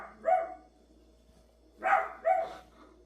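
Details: Single dog with three barks, one short woof, a pause of over a second, then two quick barks in succession, against a faint low hum.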